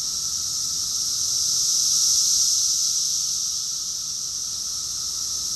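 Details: Many cicadas singing in chorus, Rockville, Maryland, USA, June 2021: a continuous high, hissing drone that grows a little louder toward the middle and eases off again, with nothing else audible.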